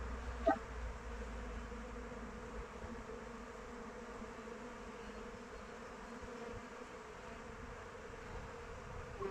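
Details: Honey bees circling their hive outdoors in open weather: a soft steady drone of many wings, one bee zipping close past at the start, low rumble beneath.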